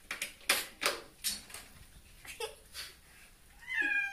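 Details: Domestic cat in a bath, disliking it and trying to climb out of the water; several splashes and sloshes of bathwater, then a single drawn-out, rising, harmonic meow near the end.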